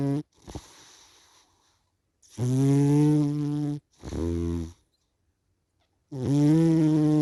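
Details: Sleeping cat snoring loudly: deep, buzzy, harmonic-rich snores of about a second or more each, coming in close runs with short gaps, plus a brief sharp click at the start.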